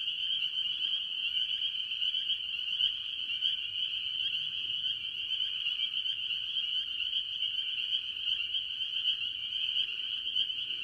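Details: Chorus of spring peepers and other tree frogs at a farm pond early in the year, the high shrill peeps overlapping into an unbroken ringing wall of sound with faint low rumble beneath.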